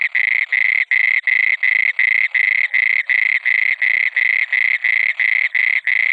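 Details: Night-time frog croaking: steady, harsh, buzzy notes repeated nearly three times a second without a break, each croak short and rasping, no other sounds.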